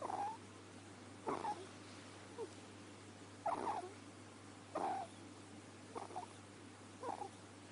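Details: Snoring from Deamon the ferret: a handful of uneven, scratchy snorts spaced one to two seconds apart, some louder than others, over a faint steady background hum.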